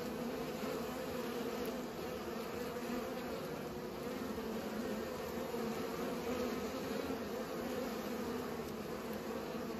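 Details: Pollinating bees hum in one unbroken, even drone, low and layered, holding steady in pitch and loudness from start to finish with no gaps and no other distinct sounds.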